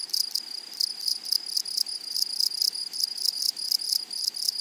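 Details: Grasshopper chorus in a flowery meadow: sharp buzzy bursts repeated roughly every quarter second over a bright, steady high whine, crisp and close.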